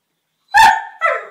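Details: Staffordshire Bull Terrier puppies, a pair, playing: one loud, sharp yappy bark followed half a second later by a shorter, slightly higher yip that trails off.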